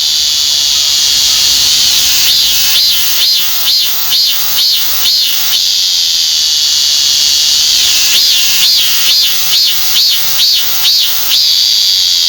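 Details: Korean cicada, among the most common cicadas in Korea. A shrill continuous buzz gives way to two bursts of rhythmic, wavering pulses, each phrase of around eight beats, with the drone filling the gaps between them.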